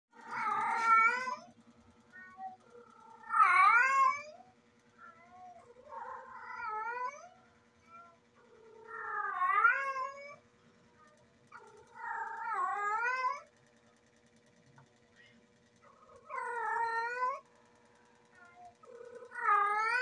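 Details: Female cat in heat giving loud, drawn-out wavering yowls, about seven harmonic-rich calls rising and falling in pitch, spaced every two to three seconds, with a steady low hum underneath.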